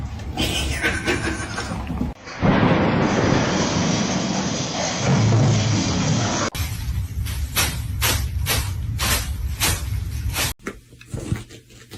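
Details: Loud music with heavy thumps, booms and crashing sounds, plus brief speech, and no animal voices.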